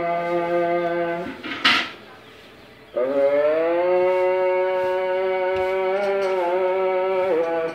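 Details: Pregnant Munda cow on a dairy farm, second calving, nine months in calf, lows in drawn-out, even-pitched moos; one call ends, a brief quiet gap and a short noise follow, then a longer moo rises slightly and holds.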